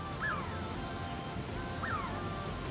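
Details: A Douglas squirrel on a branch overhead in coastal Oregon old-growth rainforest, around Memorial Day in late May, gives an alarm call: two sharp chirps that rise, then slide downward, about one and a half seconds apart.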